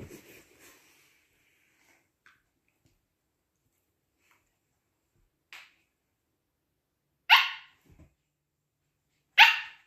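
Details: Siberian Husky puppy pestering and biting an older husky all morning; a few sharp, high, clipped yelp-like barks, isolated bursts spaced one to two seconds apart, two loud ones near the end, in an otherwise quiet room.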